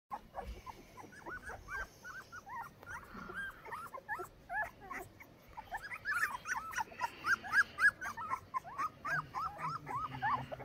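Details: Litter of 14-day-old Saint Bernard puppies in Pakistan, squeaking and whimpering in dense overlapping bursts of short rising yelps, several per second, growing louder and busier toward the end.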